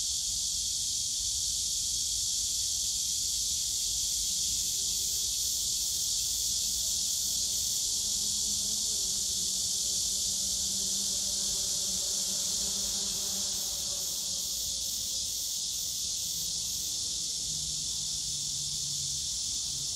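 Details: Cicadas on a summer day in the bamboo grove of Yongsan Family Park, a dense, unbroken high-pitched hiss of many callers, with faint low hum and murmur beneath.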